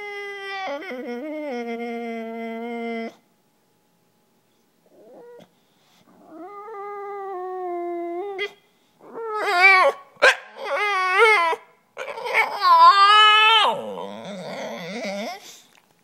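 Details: A male English Bulldog whines in long, drawn-out tones, then breaks into rough, grumbling yelps, wanting someone to play frisbee with him.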